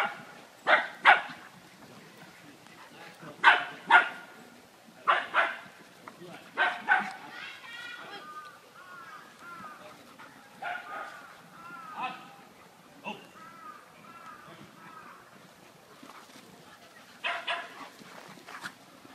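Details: Shiny the Beagle at play, giving loud, clipped barks that often come in pairs. Softer whining, wavering sounds and human voices fill the stretches between the barking bursts.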